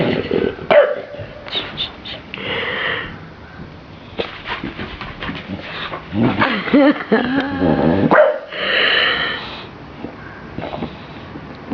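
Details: Dave, a large 25 kg pet bulldog, playing indoors with a small toy sheep made of wool: short barks and low growls, some whimpering, broken by bursts of a person's voice.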